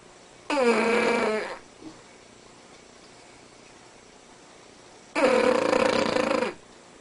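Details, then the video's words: Asleep indoors, the Cavalier King Charles Spaniel Spanky gives two loud snorting snores about 4.5 seconds apart, each a grating buzz with a steady whistling tone, plus one tiny snuffle between. "Sir Spanky the Cavalier King Charles Spaniel - Snoring World Record"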